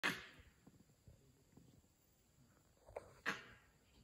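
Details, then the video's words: Wild langurs giving alarm calls in the jungle, made when a leopard, tiger or other hunting carnivore is near; two loud, explosive harsh barks, one at the start and one after about three seconds, with soft rustling between. "Langurs making alarm calls in the wild"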